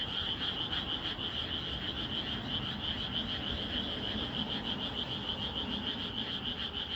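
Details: A night frog chorus in peaceful rural fields. It is a high, steady trilling wall of sound with rapid pulses of about three per second and a faint low rumble underneath.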